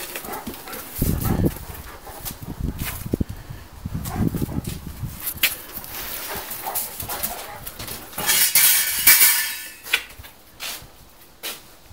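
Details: Dog barking at the STELLA D'ORIENTE kennel for Tibetan Mastiffs and Thai Ridgebacks in Nizhny Novgorod, 2017: a few deep, broad bursts spaced a couple of seconds apart, over outdoor background noise and scattered knocks.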